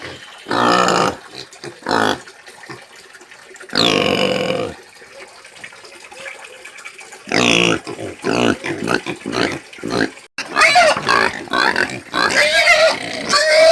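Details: Pig sounds in scattered bursts: short harsh squeals and grunting noises separated by quieter gaps, with a run of shrill squeals near the end.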